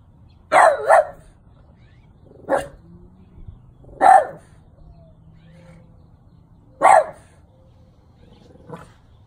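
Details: A 12-year-old French Bulldog barks at a St. Francis statue: a quick double bark, then single sharp barks spaced irregularly about two to three seconds apart. The background is quiet.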